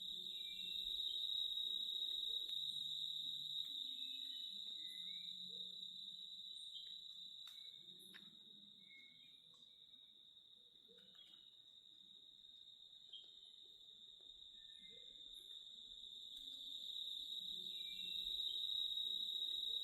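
A cicada's steady, high-pitched buzz drones without pause, fading slightly midway before swelling again.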